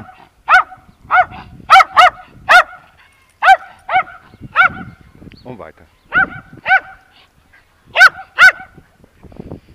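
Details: Timmy the terrier gives a steady run of high, sharp barks, often in quick pairs, about two each second, while a person talks in German in the background.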